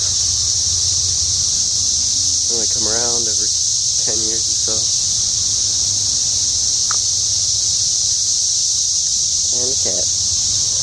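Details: A continuous piercing cicada chorus outside a home, even and unbroken, while a man speaks in several short phrases over it.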